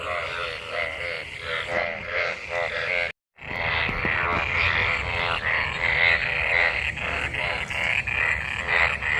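Many frogs call at once, each croak a quick rattling series of pulses that blend into a continuous throbbing chorus. The calling is mating activity, set off by the onset of monsoon rain.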